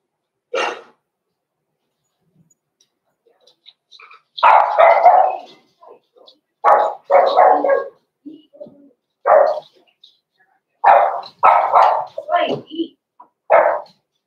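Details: Six-week-old blenheim Cavalier King Charles Spaniel puppies, Roman and Blue, in a home puppy pen, giving bursts of short broadband barks, some doubled, with quiet whines between and faint speech in the room.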